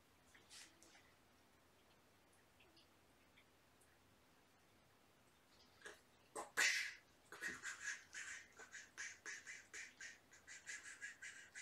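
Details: Shelter kittens born November 22, surrendered with their mother Olympia, heard indoors in the morning: after quiet rustling and a sharp burst, a rapid string of about a dozen short, high, harmonic mews repeats roughly twice a second.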